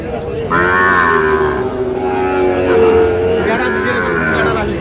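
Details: At a cattle market, where a Dhaka farmer bought a Sahiwal breed bull calf on 4 August 2025, a long, even, low moo holds for about three seconds, rich in harmonics, against a steady background of crowd noise.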